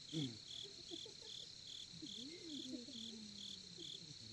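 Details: Crickets chirp in steady, high pulses about twice a second at a campsite in Korea beside a campfire, with soft human voices low underneath.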